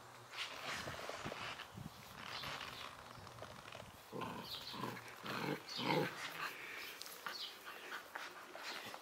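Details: Spanish Mastiff puppy named Duque de El Siledín, sired by Campo I de Babia out of Yara de Abelgas. It gives short, rough, irregular yelps and grunts. The calls are scattered through the clip and loudest around the six-second mark, with faint outdoor background.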